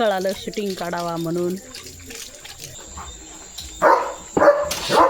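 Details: Leo, a German Shepherd, barking during his morning routine of a walk in the fields; three short, rough barks spaced about half a second apart come after a stretch of a man talking.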